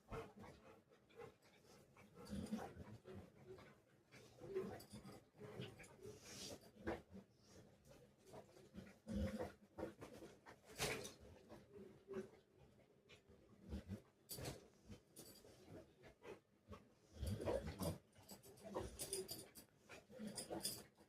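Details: Pet Rottweiler pestering its owner and not letting them work, giving soft scattered whimpers and low whines with panting breaths, broken up by sharp knocks and handling noises.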